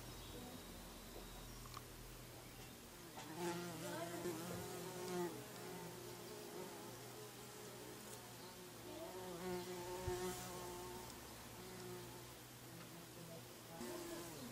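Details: Bees buzzing, a low droning hum with stacked tones that swell and fade as insects pass close, loudest around three to five seconds and again near ten seconds, over a steady background hum.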